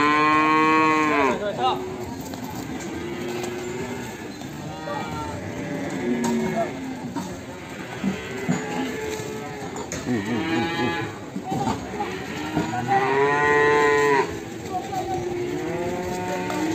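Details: Lowing of Limousin cattle, a calf from Ambarketawang, Sleman: a series of repeated drawn-out moos, some bending upward and others falling. They are loud and overlapping, with background murmur throughout.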